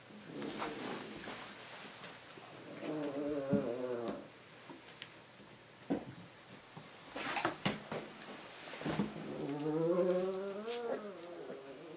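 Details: Husky puppies faced with drinking water for the first time whine in two bouts, each rising and wavering for about a second. Quick clicks, taps and splashes from the drinking come between them.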